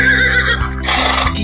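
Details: A horse gives a brief, shaky whinny that breaks into a breathy, wavering second part, set against a steady musical background.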